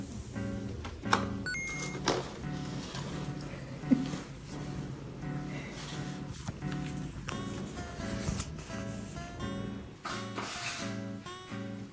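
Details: Steady indoor music with plucked tones and occasional thuds, faint speech, and no animal sound.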